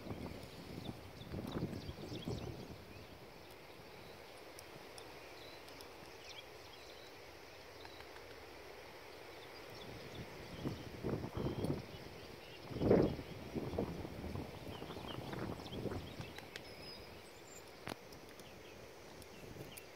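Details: Hoofbeats of a six-year-old registered Appaloosa gelding, 16 hands, ridden in the evening while asked to extend, jog, turn around and switch leads: dull irregular thuds in scattered bursts, strongest near the middle, over steady low background hiss.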